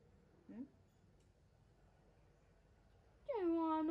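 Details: Newborn baby monkey answering its mother: a tiny squeak early on, then near the end a louder, clear harmonic call that starts high and drops quickly to a sustained lower tone.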